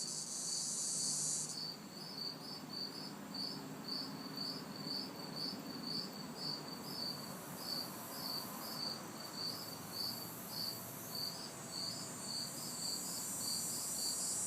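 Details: Backyard chorus of crickets and cicadas on a hot, humid summer night in the city: evenly spaced high chirps, about two per second, over a continuous shrill buzzing drone, with faint distant traffic noise low in the background.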